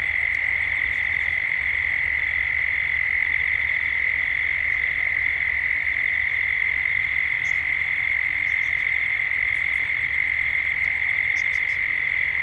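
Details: Australian cicadas in Gippsland at dusk form a dense, level buzzing wall of sound at one high pitch. Short, bright chirps, likely from birds, pop out above the drone several times.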